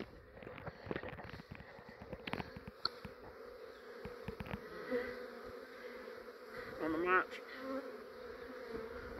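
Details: Fairly large, quiet honey bee swarm hanging on a branch in a yard in Australia, around six in the evening while being caught by a beekeeper; a steady low droning hum with scattered clicks and a brief chirp near the seventh second.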